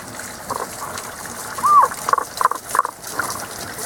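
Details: Frogs calling in a season-only chorus, unseen, with mid-to-high voices: a short sequence of clipped croaking notes near one pitch, one drawn-out slurred note then several quick pulses, over a steady wash of flowing water.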